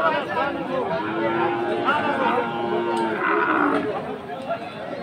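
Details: Friesian cattle at Aftabganj market in Dinajpur on Saturday 11 March, where Friesian and crossbred bull calves are traded; a long, steady, droning moo held for about two seconds, then a shorter low bellow, over busy crowd chatter.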